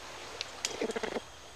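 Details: Greater bamboo lemur (Prolemur simus), endangered, in Madagascar's cloud forest, gives a quick burst of low, buzzy grunting pulses, a warning call telling another lemur not to come too close to its bamboo.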